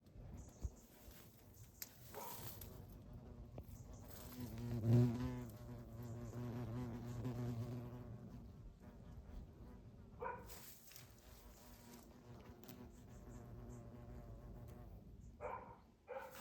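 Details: Asian hornet visiting chayote flowers in a small garden, where it flees from a tiny spider; a low droning wing buzz swells around the middle and fades, with faint rustling and occasional clicks.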